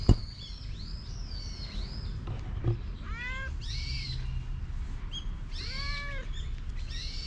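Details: Affection-seeking stray cat that runs over on seeing a familiar face, recorded with a GoPro HERO8; two short arched meows a few seconds apart amid busy high bird chirps, a sharp knock at the start.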